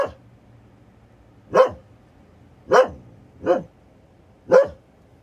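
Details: Female Siberian Husky barking at a plastic bag in her yard while her sister looks on: five short, sharp, loud barks spaced about a second apart with quiet gaps between, no other clear sounds.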